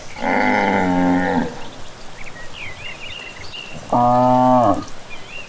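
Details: Evening lowing of cattle walking back from grazing through rural fields: a loud, rich moo lasting over a second, a quiet gap with bird chirps, then a second shorter moo.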